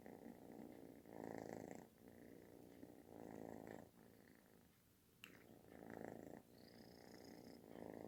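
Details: Loud, snore-like purring of a cuddling kitten; gravelly rumble in breathing swells with a quiet pause midway and a brief sharp click.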